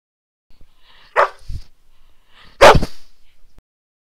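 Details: Young dogs of mixed breeds, Golden Retriever, Labrador, Ridgeback, Havanese and a mixed-breed, romping at a puppy playgroup on 24 March 2012; two short loud barks about a second and a half apart with soft rustling between.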